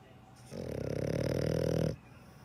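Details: Dog snoring with one loud, buzzy, fluttering breath of roughly one and a half seconds, rising slightly in strength before stopping abruptly.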